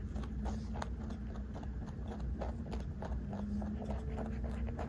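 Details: Hand-fed snacks crunched by a large 3.2 kg rabbit, close-miked: evenly spaced crisp chewing clicks, roughly three or four a second, over a low droning hum.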